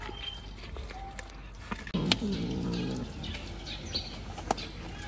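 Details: Kitten holding a big fish in its mouth, intimidating the cats around it: a low, drawn-out harmonic growl lasting about a second, with faint bird chirps and outdoor rural background noise.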